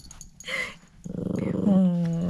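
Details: Pet dog during a toy-recognition game, giving a drawn-out nasal whine that rises into a steady, sustained tone with clear harmonics, preceded by brief human speech indoors.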